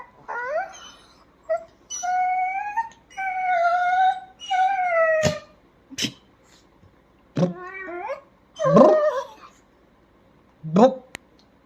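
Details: Pet dachshund after a shampoo bath, producing a series of rising-and-falling whining howls, about six sustained tonal cries with short yelps and clicks between, while a woman talks in Bengali around them.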